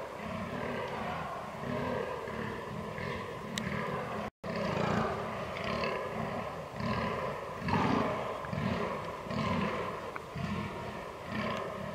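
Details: Fallow deer during the rut, recorded 22 October 2022 on a Canon R6: deep, hoarse belching groans repeated about once a second in a steady series, with low rumbling background noise.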